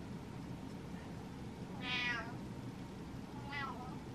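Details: Butters the cat, impatient and tired of waiting for its owner, gives two short, rising-then-falling meows about a second and a half apart over a quiet background hum.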